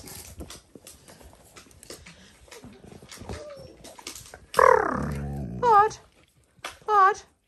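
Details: Dalmatian puppies in a noisy litter: after quiet shuffling, three loud, sharp yelps ring out about a second apart, each bending downward in pitch, as a person scolds one pup for biting.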